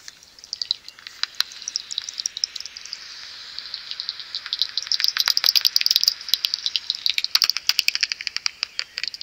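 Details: Common pipistrelles, some seventy together, swarm at dawn outside a maternity roost before going in; quick high clicks start sparse, then build into a thick crackling stream of overlapping pulses.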